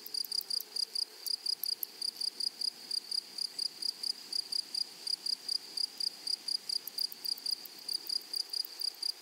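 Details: Grasshoppers singing in a flowery prairie meadow: a shrill, high chirping in clipped bursts, roughly eighty-five per minute, each made of fast pulses. The insect is alone over a quiet rural background.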